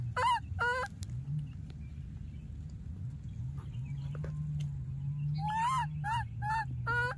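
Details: Young wild monkey keeps calling after losing its playmate: two loud honk-like cries, a pause with faint sounds and a low droning hum, then a quick series of four or five harsh, harmonic wails.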